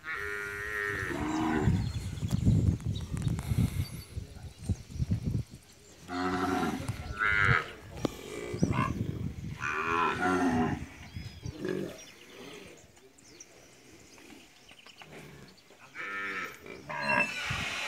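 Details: Nelore cows with their calves on a vaccination day; several deep, drawn-out moos, some rising and harmonically rich, overlapping at irregular intervals with farm background noise.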